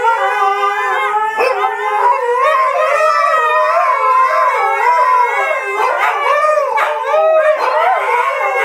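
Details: Three Siberian Huskies howl together in long, wavering, sliding tones that rise and fall continuously.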